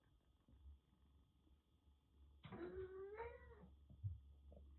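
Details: Kitten Jura, rescued from heavy rain in western Japan with bad cat flu, squares up to a far bigger cat indoors: one clear drawn-out meow rising then wavering for about a second, after quiet thumps and room hum.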